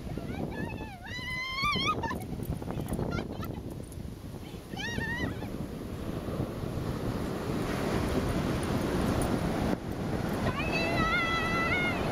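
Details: Staffordshire Bull Terrier gives high, rising whines in short bursts over steady wind and surf.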